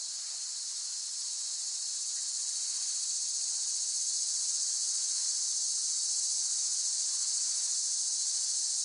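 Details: Steady, shrill cicada buzz held as one unbroken high drone, gradually growing slightly louder, with no other clear sounds.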